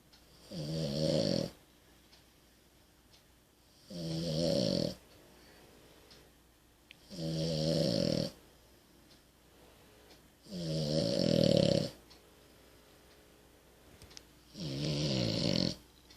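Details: French Bulldog named Amelie snoring: five loud, rasping snores, each roughly a second long, arriving about every three seconds, a low rattling tone topped by breathy hiss, with quiet pauses between breaths.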